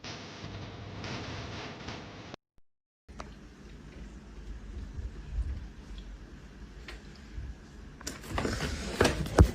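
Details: Quiet indoor room noise with a brief total silence near two seconds, soft rustling and a sliding door, then louder clattering handling sounds at the end, without any animal call.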